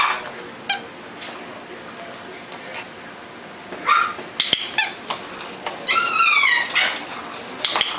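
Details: Shiba Inu puppies for sale in Kent, Washington, give high, thin whimpers and short yelps, some rising and falling in pitch.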